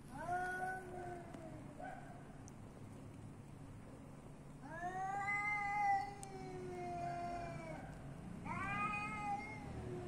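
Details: Street cats in Athens, Greece: three long, harmonic-rich meows, each rising then slowly falling, spaced a few seconds apart, over a constant low hum of city background.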